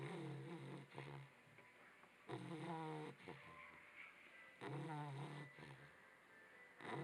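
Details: A sleeping Labrador Retriever puppy snoring: low, rough, drawn-out breaths with a rattling buzz, each lasting about a second and recurring every two to three seconds, with quiet background hiss between them.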